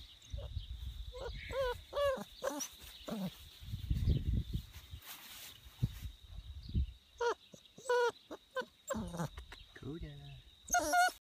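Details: A Bernese Mountain Dog outdoors gives a run of drawn-out, wavering howl-like calls with bending pitch, in bursts across the recording, mixed with low rumbling handling noise and short gaps of quiet.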